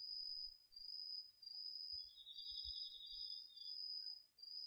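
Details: Night chorus of autumn insects including crickets from a garden plot, DR-40X recording: a continuous piercing high trill, with a softer lower pulsed trill arriving halfway through and faint low thumps beneath.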